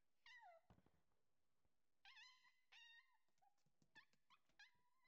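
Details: Husky puppies playing indoors, giving a run of high whining yips and short howls, each with a quick upward sweep then a level tone, repeated in bursts, with thumps and scuffling between calls.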